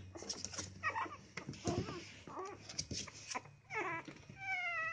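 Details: Baby Chihuahuas, three puppies, play with each other in a box, giving short squeaky whines and yips with bending pitch, closing on a drawn-out tonal whimper; a faint low hum runs underneath.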